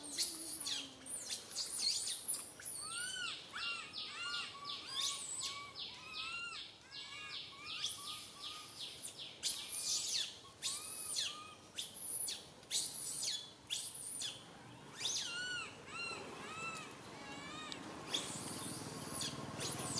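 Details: Baby monkey Santo crying loudly in a tree while mother Sara cannot tend him; rapid strings of short chirping whimpers mixed with repeated harsh shrieks, continuing without pause.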